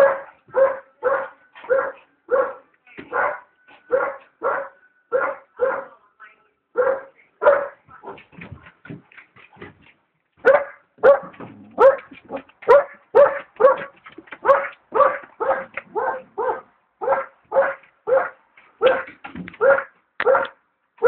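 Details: An Alaskan Malamute puppy barks at a hot air balloon in a steady, rapid series of deep, loud woofs.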